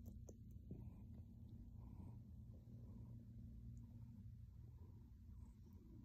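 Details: Grey male kitty on his owner's lap, kneading a blanket and purring in calm contentment: an unbroken low, throbbing hum with faint rustling above it.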